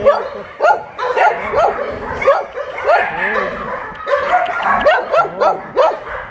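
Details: Many dogs barking together at an abandoned-dog shelter in Yangsan: short, sharp overlapping barks and yips in a rapid, uneven chorus throughout, with people talking in the background.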